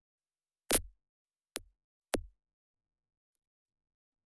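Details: Three sharp, booming percussive thumps within two seconds, like drum hits or knocks, then silence; no animal voice.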